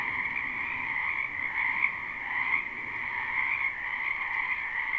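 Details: Live spring night chorus of numerous frogs in a wetland near a home, never looped: a droning, trilling mass of croaks holding two even bands, with small swells of single louder callers around two seconds in.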